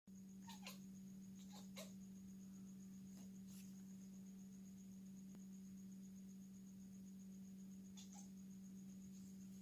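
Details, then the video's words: Domestic cat, excited to play with a stick, making click sounds: a few sharp, brief clicks in small clusters near the start, around three seconds and again near eight seconds, quiet against a steady low electrical hum indoors. "Excited To Play With stick He Makes Click Sounds"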